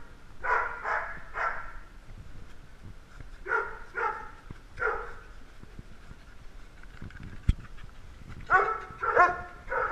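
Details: Several little dogs vying for attention, yapping in short bursts: three quick barks, a pause, three more, then a cluster of higher yips near the end, each bark bright and harmonic with quiet gaps between.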